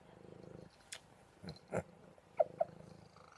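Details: Buddy, a cuddly pet cat, purring indoors: a soft low rumbling purr, then quieter gaps broken by brief clicks and a couple of short sharp knocks, the purr resuming at the end.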